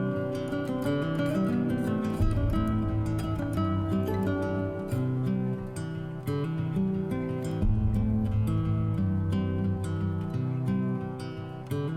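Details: Strummed acoustic guitar music plays throughout, with no animal sounds.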